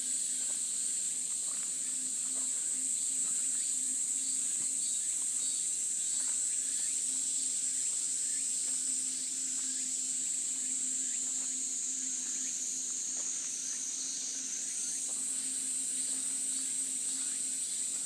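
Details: Cicadas calling along a mountain path in a cool breeze: a continuous, very high, shrill buzzing drone that pulses rapidly, with a faint steady low hum underneath.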